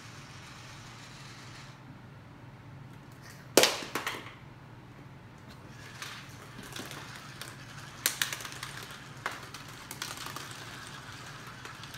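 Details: Indoor scene of an electronic toy ball: low steady hum broken by sharp clacks and rattling knocks, one loud bang early and clusters of clicks later, with no animal calls.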